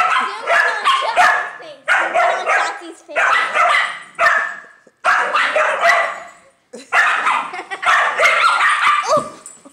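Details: Indoor pet Dachshund, female, angrily protecting her nest from a neighbour's dog wanting to play: harsh, choppy bark volleys with two short pauses, steady and loud throughout, with human chatter underneath.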